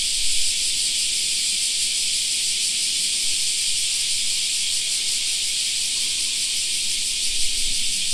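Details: Shrill, nonstop cicada song fills a summer park, a bright high buzz with a light rhythmic shimmer, with brief low thumps at the start and end.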